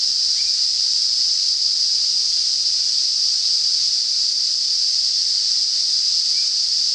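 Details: A cicada's steady, high-pitched buzzing drone holds unbroken and even throughout, the song heralding approaching summer in north-eastern Australia.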